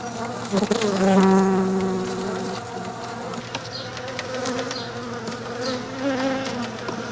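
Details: Honey bees crowding over comb scented with lemongrass oil inside a lightweight shipping box, a potential swarm trap; a dense steady buzzing with drifting harmonic tones around low pitch, swelling loudest in the first seconds and continuing throughout.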